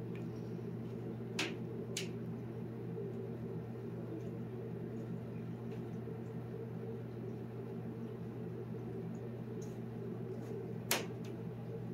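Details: Quiet indoor hum with a faint steady tone and a few sharp clicks, no animal voice.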